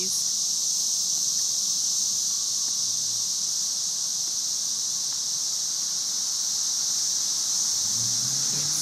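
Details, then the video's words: Cicada chorus from thousands of insects in trees, May 2011 invasion, recorded while moving under a tree where it is louder: dense, high, steady sizzling like white noise with no pauses, a few faint ticks. "Cicada "Music""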